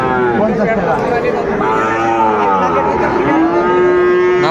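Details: Moos from Sahiwal cattle among Sahiwal and Friesian bull calves at a market in Tangail, 2 May 2024: several drawn-out lowing tones, the last one long and steady, with people talking close by.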